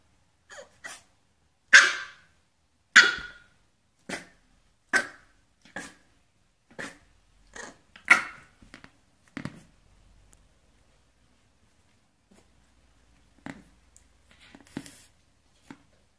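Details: A puppy trying to bark for the first time, seeking attention, gives a string of short, high, yappy barks that fade and stop.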